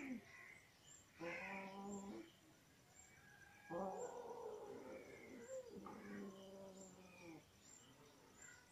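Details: Mother cat, angry at her kittens while nursing them, gives three drawn-out, low, harmonic growling wails, each lasting one to two seconds, separated by short quiet gaps with faint background hiss.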